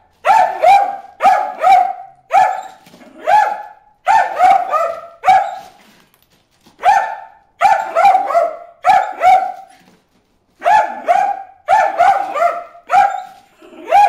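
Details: Dog named Bruce barking at fish swimming in a water hole, a steady run of bright, ringing barks mostly in pairs and triplets, with brief silent gaps between the groups across fourteen seconds.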